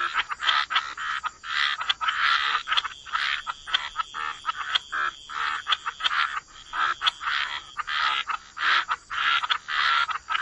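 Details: Frogs in wetlands croak in choppy repeated bursts, each a grating pulse lasting under a second, many voices overlapping with short silences between groups of calls.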